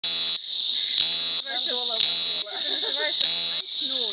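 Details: Cicada giving a loud, steady, high-pitched buzzing drone, broken by a brief pulse of harsher buzz roughly every second, with faint lower warbling sounds underneath.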